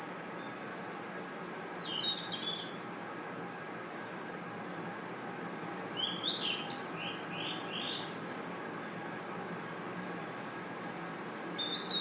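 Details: Cricket and insect chirping in a nighttime forest: an unbroken high, steady trill, with two short clusters of quick chirping notes, the second a run of four descending chirps.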